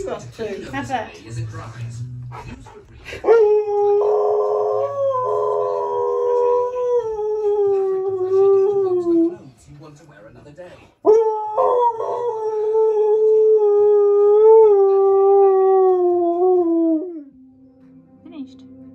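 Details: Siberian Husky howling back when teased about his chunky neck: two long sustained tonal howls, the first wavering and slowly falling, the second steadier and level, preceded by a woman's voice and brief music.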